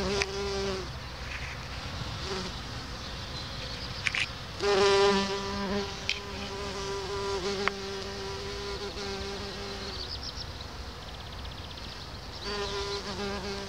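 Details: A bumblebee in a lavender field between Orange and Uchaux, Vaucluse, France, on 10 June 2018, gives a low, droning hum that swells louder and fades as it moves about.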